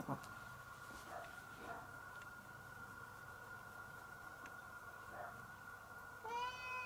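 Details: Domestic cat being affectionate toward its owner, in a home shared with a Chihuahua; near the end, one short rising then falling meow with a rich harmonic stack, after several seconds of steady indoor hum and faint soft knocks.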